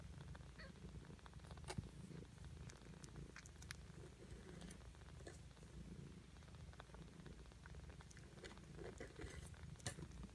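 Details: Purring from six-day-old Ragdoll kittens, a continuous deep rumble with slight pulsing, broken by occasional soft clicks and rustling sounds.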